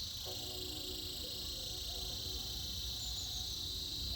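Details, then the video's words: Cicadas fill the air with an even, high-pitched droning buzz during winter, constant from start to finish over a soft low background hum and faint tones. "Buzzing sounds of Cicadas"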